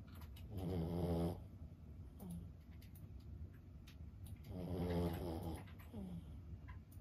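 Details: A senior Boston Terrier, fifteen years old, snores while asleep. Two long, coarse, throaty inhalations are separated by about four seconds of quiet breathing with faint small snuffles.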